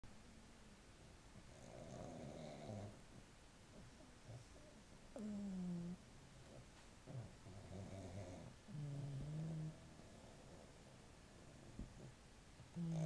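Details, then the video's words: Pug snoring: slow, low, droning snores about every three to four seconds, each a rough buzzing inhale lasting around a second, with quiet breathing between. "my snoring pug"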